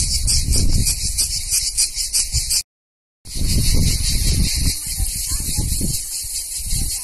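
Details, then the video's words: Cicadas in Greek summer at Vasilina, northern Evia, Greece, fill the air with a dense, high, sizzling buzz that barely pauses. "Τζιτζίκια Ελληνικό καλοκαίρι (cicale)"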